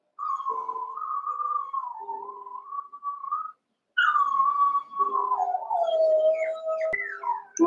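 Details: Young Cavalier King Charles Spaniel puppies, eight together in the Red Barn puppy pen, wrestling and playing; a drawn-out, wavering, whistle-like howl slides up and down, breaks briefly, then resumes and falls, with faint higher whines behind.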